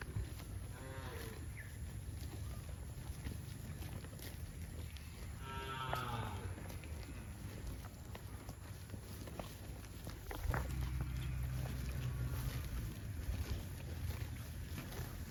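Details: Cattle heading to a rural field, mooing: a drawn-out, harmonic low moo near the start and a second rising, wavering moo around six seconds, over steady low wind rumble that grows louder near the end.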